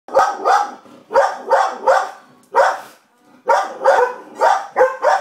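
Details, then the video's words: Two pet dogs, Gracie and Coco, indoors: Gracie barks at the TV while Coco barks at Gracie. Sharp barks come in quick pairs and triplets, separated by short pauses. "Gracie barking at the TV & Coco barking at Gracie"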